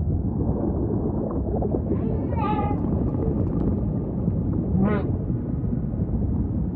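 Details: Humpback whale song with ocean ambience: two strong upswept, wavering harmonic cries a few seconds apart, with softer groaning units between, over a steady low rumble of the sea.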